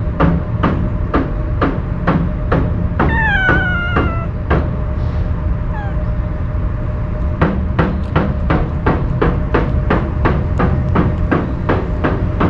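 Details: Wary stray cat, normally quick to run from people, eating Kalkan food it was given: a single clear, downward-sliding meow early on, surrounded by a rapid series of sharp clicking or tapping sounds throughout.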